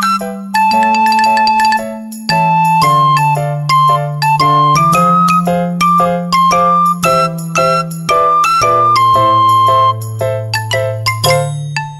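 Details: A cheerful melody of bell-like mallet tones plays over a sustained bass, changing chords every couple of seconds. No animal voices can be picked out.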